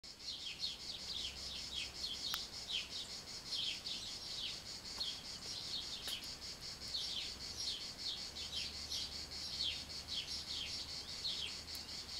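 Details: Cicadas in summer fill the air with a dense, high, shimmering buzz broken by quick repeated chirps.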